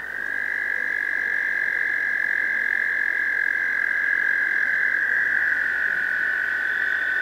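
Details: American toad males gathered in a pond in spring breeding season, usually May, singing to attract a female: a long, steady, high musical trill holds unbroken throughout, with overlapping trills blending and a fainter, higher trill entering near the end.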